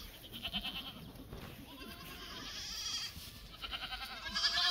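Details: Black goats on a farm in Gimhae, South Korea, July 2024: softer trembling bleats at the start and end, partly masked by steady barn noise and a high-pitched hum.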